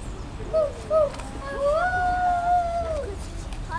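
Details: Captive African wild hunting dogs at London Zoo, playing and mating: two short high chirps, then a long, steady, whining tonal call that holds its pitch for over a second before falling away, over a low murmur of background noise.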